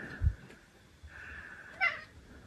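An Egyptian Mau gives a short, rising meow, asking for a snack.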